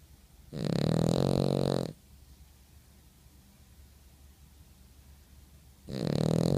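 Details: Dog asleep and snoring, one deep rattling snore of over a second, a long quiet pause with soft breath noise, then the next snore beginning at the end.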